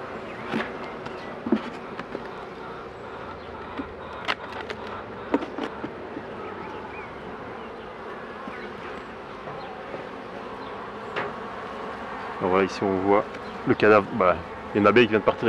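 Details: Honey bees at hives a beekeeper is working: a steady, dense low buzzing hum for about twelve seconds, with scattered clicks and knocks, then a man's voice speaking in short bursts near the end.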